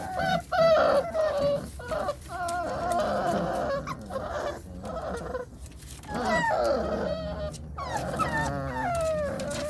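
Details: Belgian Malinois puppies screaming: a dense chorus of overlapping high, wavering yelps and whines, rising and falling, with short gaps, several voices at once.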